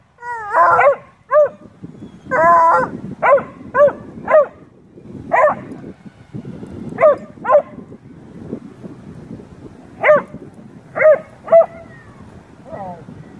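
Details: Beagle/shepherd mix and Blue tick dogs talking to each other during play, giving a series of short, rising-and-falling yowls and yips, some in quick pairs, spaced a second or two apart over low rumbling noise.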